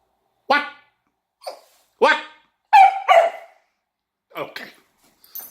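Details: Female Kelpie dog at play with a toy, giving loud, harsh barks spaced about a second apart, some doubled, with a person's voice around.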